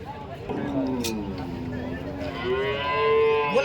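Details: At the Saturday cow market in Chalisgaon on 23 March, a cow gives a long, low moo that sags slightly in pitch, then swells into a louder, brighter, rising bellow, with a brief clatter and murmuring people nearby.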